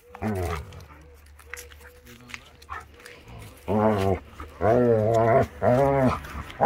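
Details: Akita Inu puppies playing wildly in the yard in the warm season; after a quiet start, a run of loud, drawn-out arching growl-whines, each lasting about half a second to a second, with scuffling and panting.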